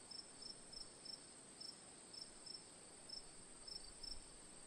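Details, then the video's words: Cricket ambience for sleep: bright short chirps, sometimes doubled, spaced irregularly under a second apart, over a continuous high hiss with a faint low rumble near the end. "Cricket Sounds for Sleep/Relaxation, Ambience, & Sound Effects"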